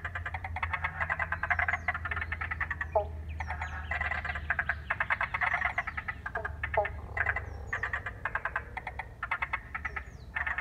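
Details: Frogs calling in the wetland at Paringa Paddock National Park, South Australia, after water was let in, captured on an iPhone: dense bursts of rapid pulsed croaking, overlapping and pausing irregularly, with thin high bird whistles above and a low background hum.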